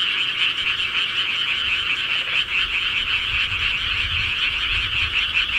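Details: Rural frogs chorusing at night, countless overlapping rattling calls merging into a steady high trill, with soft low rumbling in the background.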